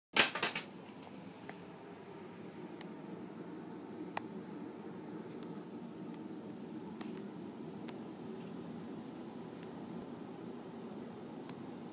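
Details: Quiet indoor room tone with scattered sharp clicks and taps, a louder knock at the start, and no animal voices.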